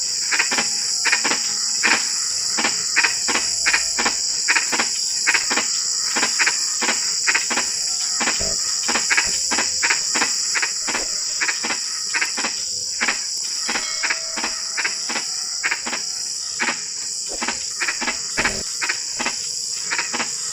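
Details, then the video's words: A frog chorus in drizzling rain: steady, irregular streams of short clicking croaks, roughly eighty a minute, layered over a continuous shrill hiss of insects. "SUARA KODOK HUJAN GERIMIS (drizzling rain frog sound)"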